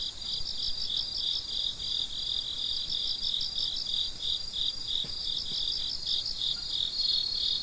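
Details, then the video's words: Crickets chirping at midnight: a dense chorus of fast, pulsed, high chirps in two stacked bands, with overlapping rhythms that never stop. A faint soft tick comes near the end. "Gece Cırcır Böceklerinin Sesi - Huzur Veren Sesler - The Sound of Crickets"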